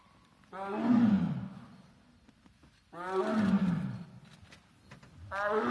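Heavy, throaty roars from a tiger swell and fade over about two seconds each, coming again after brief gaps. The roars are a threat aimed at people close by.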